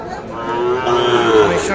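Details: Sahiwal calf mooing at the Ambari cattle market, Parbatipur, Dinajpur, Bangladesh, on Friday 3 January 2025: one drawn-out, richly harmonic moo that swells and rises slightly, with faint market chatter behind.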